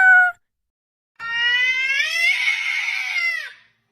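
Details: Cat giving a short high meow, then after a pause a long drawn-out wailing meow lasting over two seconds, strongly harmonic, rising in pitch and then falling away at the end.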